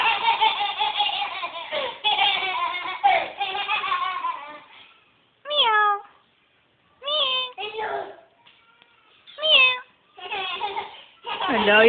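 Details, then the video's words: Kitty meowing indoors while people call it in Filipino. Several short, arching, harmonic meows about two seconds apart follow a stretch of talking, with more voices at the end. "kitty meow"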